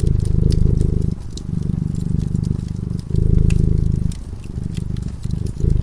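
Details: Cat purring while sleeping peacefully in front of a cozy fireplace; a low, steady, pulsing rumble that swells and softens in turns roughly every two seconds, with faint crackles of the fire above it.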